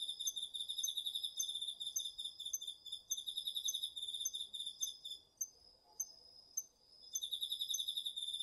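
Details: Night chorus of autumn insects including crickets in a home garden patch, DR-40X recording: fast, ringing pulsed trills, a gap with isolated sharp ticks, then the high chirping returns; calm surroundings.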